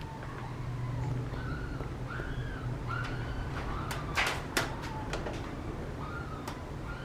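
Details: Young male Papillon puppy, born 16 July, whining in short, curved, nasal whimpers repeated every second or so, with a few sharp knocks and clatters midway and a constant low hum underneath.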